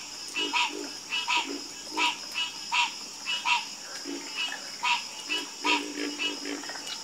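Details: Chorus of frogs croaking: short, harsh, pulsed croaks, some doubled, sounding about every half second to second from several callers, over a steady high insect-like hum.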